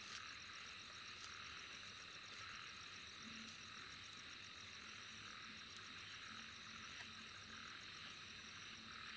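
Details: A steady night chorus of many insects, a dense high-pitched wash of trilling and buzzing with thin, rapidly pulsed chirping above it; faint low croaks may come from frogs in the background.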